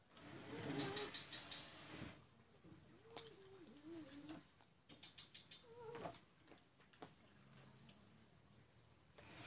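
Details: A male cat defers to a female at feeding time, Kuala Kapuas, Central Kalimantan, 2 December 2018; several rising-falling meows repeat over the first seconds and again near six seconds, over high chirping birds and background hum.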